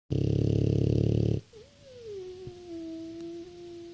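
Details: A 6-year-old French Bulldog snores with a deep, rattling rumble, then a thin, steady nasal whistle.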